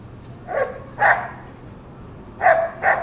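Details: Dog that keeps barking through the day at children and passing dogs, four short barks in two spaced pairs.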